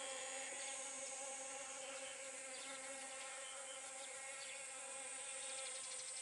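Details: Honey bee among pumpkin flowers, pollinating; a continuous buzzing hum with a strong overtone series and level volume throughout, over a persistent high hiss.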